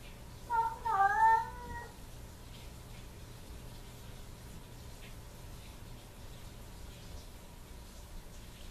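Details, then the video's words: Domestic cat crying at the door after its owner has left, giving one drawn-out wavering whine of about one and a half seconds that bends up and down, followed by quiet room hum. "Cat Whining and Crying at the Door After Owner Leaves"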